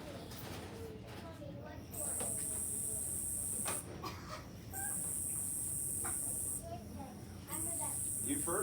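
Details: A Nebraska conehead, a cone-headed katydid heard in summertime, sings loud, high buzzes lasting about two seconds, separated by short pauses.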